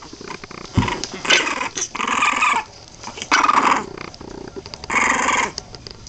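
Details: Boston Terrier puppies at 23 days old, several littermates; rough, grating growls come in bursts of about half a second to a second, four or five across the stretch, with quieter rustling in between.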